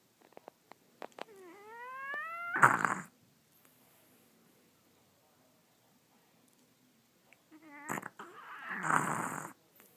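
A French Bulldog snores in loud, rasping bursts, one near the start and another several seconds later.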